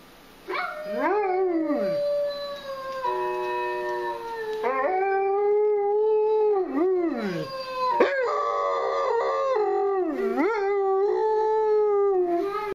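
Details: Dogs howl back at the Zootopia howl. The long, quavering howls swoop down and climb again, sometimes in pairs, in near-continuous, overlapping phrases that run steadily for about twelve seconds.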